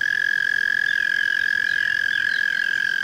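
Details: A European mole cricket churrs in a steady, unbroken, low purring trill at one even pitch, in dry early July 2015 in Limousin, central France. Its song resembles that of Savi's warbler.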